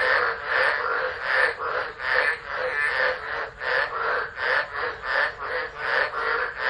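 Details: Tropical frogs singing during a tropical low, Driver, Northern Territory, Australia, 13 December 2013, on a phone. A thick wall of overlapping croaks blurs into a rough continuous throb with faint regular pulsing.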